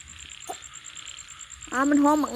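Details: Frog calling in a rural outdoor setting, heard after faint clicks: a single loud, harmonic, nasal croak lasting about half a second, rising then falling, over a steady high insect-like hum.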